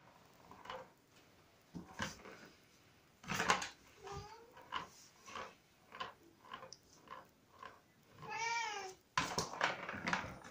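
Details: Bengal cross kittens, four weeks old, indoors with a Savannah Bengal cross and a silver Bengal mother nearby; several short high mews scattered through, then one longer stacked, wavering meow near the end, with handling and rustling noises.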